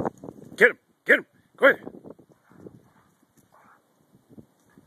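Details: Rhodesian Ridgebacks, a faster female aged 3.5 and a companion aged 2, playing tag while running in a snowy backyard on January 21, 2012; three loud, quick barks, then softer noises and a person urging them on.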